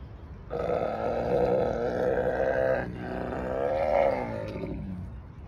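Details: Tiger (Panthera tigris), roar.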